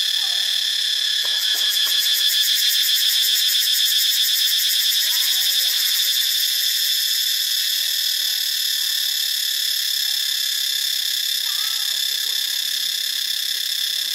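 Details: A cicada chorus in Ubon Ratchathani, Thailand, on Friday, March 25, 2022, gives an intense, shrill buzz layered with ringing high tones, throbbing with rapid pulsing early before settling into an unbroken drone.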